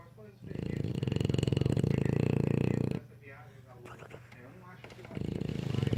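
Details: An English Bulldog snores in long, deep, fluttering rasps separated by a quieter breath, still snoring even after waking up.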